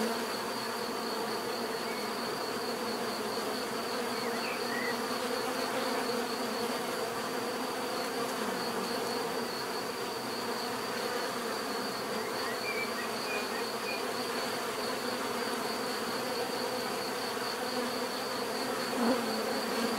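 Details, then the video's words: Twenty seconds of unbroken bee drone, deep layered humming plus a sustained high whine, with scattered quiet bird chirps and a slight swell of buzzing near the close. "bees therapy relaxing natural buzzing sound"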